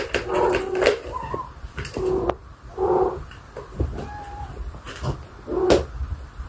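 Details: Blue-eyed British kittens play indoors with a favourite ball toy, chasing and batting the balls around. Two short, thin mews sound, one level and one gently arching, among knocks, rattles and soft thumps from the rolling balls.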